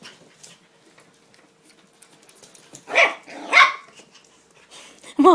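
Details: Seven-week-old puppies playing let out two quick, loud barks close together, then a final wavering yelp. A low steady hum runs underneath.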